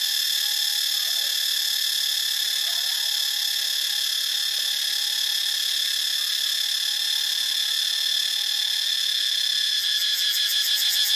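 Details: Cicadas in Ubon Ratchathani, Thailand, keep up a loud, steady, high-pitched droning buzz with layered shrill bands. A faint thin tone runs underneath, and a rapid pulsing flutter appears near the end.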